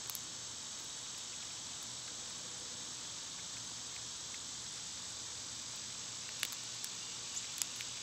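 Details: Summer cicadas give a steady, dense high-pitched hiss that holds without a break, with a few faint ticks and clicks near the end.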